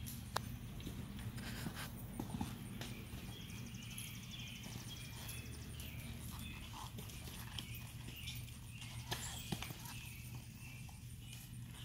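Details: Five-year-old bay and white spotted Tennessee Walking Horse gelding, 16 hands, ridden on the trail in a smooth natural saddle gait; soft dull footfalls and scattered sharp clicks over a steady low hum, with faint chirps higher up.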